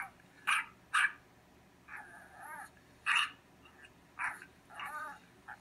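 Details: Neighbouring dog, heard while Cotton the cat listens, gives a couple of sharp barks, then a wavering whine, another loud bark and a few more yelping barks.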